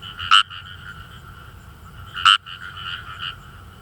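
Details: Indian rice frog (Fejervarya kawamurai) calling in rice paddies of northern Saitama, Japan; short harsh croaks "gue-gue" with two loud bursts about two seconds apart over a softer chorus of other frogs.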